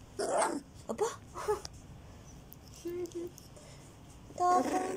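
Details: Border Collie mix puppies, fourteen days old, give short whiny squeaks and moaning whimpers in bursts, a quiet pair of low squeaks near three seconds, then a louder wavering cry at the end, indoors with faint handling noise.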